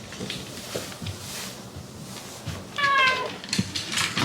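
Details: Kept waiting too long at bedtime, chatty Shiba Inu Hachi voices one sustained, slightly falling whine of complaint after soft thumps and shuffling indoors.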